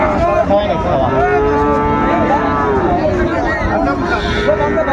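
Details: At Ambari market in Dinajpur, Bangladesh, 14 March 2025, a Sahiwal bull calf gives a long, level moo lasting about two seconds that then dips, amid men talking, bargaining chatter and a low vehicle rumble.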